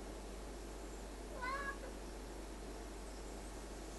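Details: Indoor male Ocicat "talking" to his owner, other two household cats around; one brief mid-pitched meow bending up and down, over a constant low hum.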